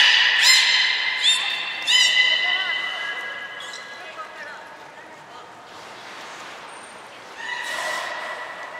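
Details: At Port of Nagoya Public Aquarium, 14 March 2021, belugas Hodoi, Taanya and Mirai are trained and moved between pools; a quick series of sharp upswept harmonic chirps opens, followed by falling whistles and a later steady tonal call.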